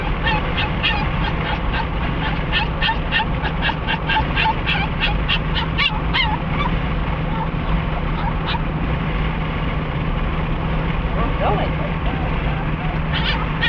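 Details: Cricket the dog, thrilled to be heading to Sarah Park Dog Park in Lake Havasu City, fires off a quick series of sharp yips for about six seconds, then falls mostly quiet under a constant low rumbling hum.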